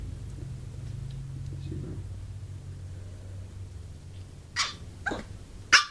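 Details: A female Pomeranian begging for her owner's soup gives three short, sharp, high-pitched yips.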